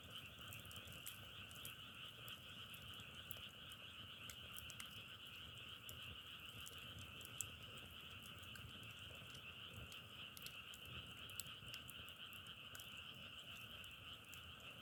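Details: Frogs keep up an unbroken massed chorus, a buzzing two-tone trill that barely varies in loudness, while a wood fire crackles with scattered clicks and two louder pops.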